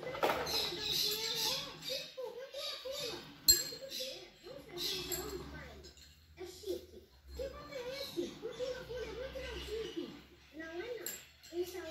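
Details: Rottweiler Xena whining because she wants to play, indoors: a string of short, wavering, nasal whines in bursts, pausing briefly between runs, over soft room noise and occasional background voices.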